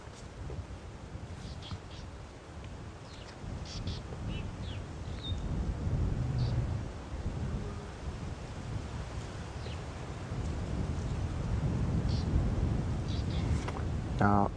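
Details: A young lioness just over 3 years old gives low contact calls toward the listener, then a deep, rumbling full roar, calling to contact the other lionesses of her pride.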